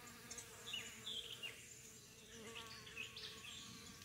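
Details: Honey bees working corn plants on 18 June, apparently gathering yellow corn pollen; a faint, steady buzzing hum runs under scattered higher rustles, with a person talking softly nearby.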